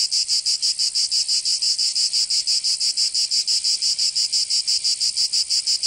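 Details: In Provence, southern France, cicadas sing through the summer heat with a bright, rasping buzz that pulses evenly and quickly, close to three beats each second, and nothing else audible.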